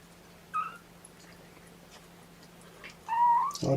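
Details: Kittens of Mama Seraphina's litter of four protest at being pottied before a weigh-in: two short, high tonal meows about two and a half seconds apart, the second longer and louder, ending in a burst of handling noise.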